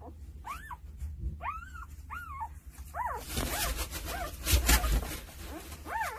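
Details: Newborn Jindo pups, two days old, one of nine in a litter tended by their mother, give short arched squeaks in a steady string, separate cries spaced roughly half a second apart, partly masked midway by a burst of rustling noise.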